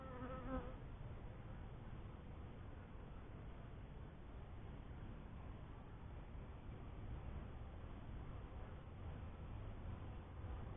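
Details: Honey bees from a first hive, giving a steady low droning hum throughout. It holds an even, dense buzz with no clear breaks, and a brief tonal sound right at the start.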